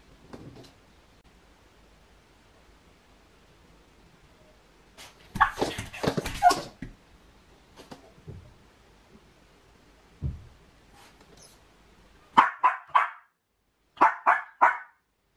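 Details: Female Miniature Pinscher left home alone indoors, showing separation anxiety; quiet stretches and scuffling noises give way to two pairs of short, sharp yelping barks near the end.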